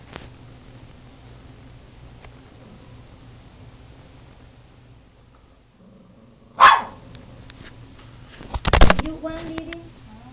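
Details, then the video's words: Pet dog "talking" in a small room: two sharp, loud barks a couple of seconds apart, the second followed by a short wavering whine, with quiet human speech in the background. "My dog talking"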